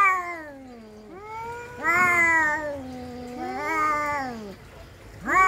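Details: Domestic cat fight, a descending moan followed by two loud swelling yowls that rise then sag, ending with a sharp upward cry.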